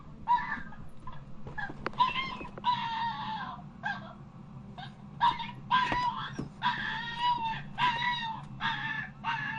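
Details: A dog gives high, strained whines and yelps in short repeated bursts over a low background hum.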